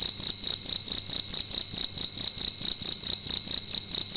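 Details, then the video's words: Loud cricket indoors at night, sounding a piercing high trill broken into quick regular pulses, about two to three chirp bursts per second, continuous and unchanging, over a quiet low background hum. "Cricket making loud sounds at night in a room"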